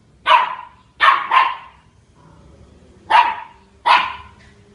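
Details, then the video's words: On October 14 at Queena HSE, Charlie the dog barks at a big dog: a single bark, a quick double bark, a short pause, then two more sharp barks against a faint hum. "Charlie at Queena HSE barks at big dog."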